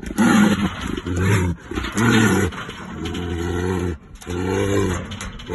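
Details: Caged, aggressive brown bear facing a human, giving a run of deep, rough roars about once a second, each a throaty harmonic blast with brief gasping gaps between them.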